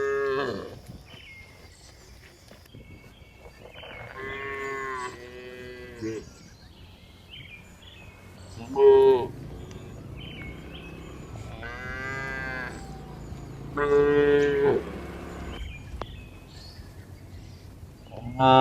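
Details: Cows on the move along a hill, mooing at intervals: a series of harmonic lows spaced a few seconds apart, some louder and higher, over quiet low background noise.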